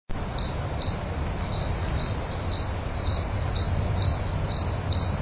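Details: At night, a cricket gives steady high-pitched chirps, about two each second, over a faint low rumble.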